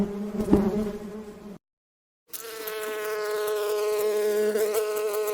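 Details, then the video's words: Buzzing bee from nature: a low drone breaks off into a short silence, then resumes at a higher, whinier pitch that holds steady and grows slightly louder. "Real Bee Buzz Sound"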